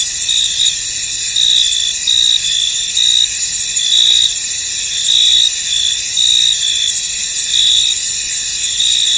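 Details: Crickets in a misty, foggy field: a dense, steady high-pitched chorus of layered trilling, with brighter chirp bursts swelling roughly once a second over a constant shimmering drone.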